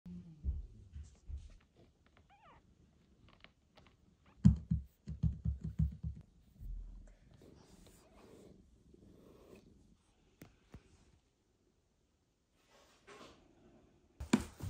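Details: Mother cat home from the veterinary clinic after a difficult birth and surgery, meeting her newborn kitten Michael for the first time indoors; deep rumbling purr pulses in bursts, with a faint thin squeak and small handling noises.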